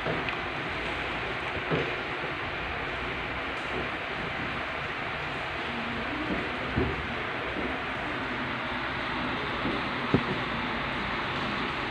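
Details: Steady broadband rumble like a moving train or vehicle fills the recording, with a few faint knocks and no clear animal calls.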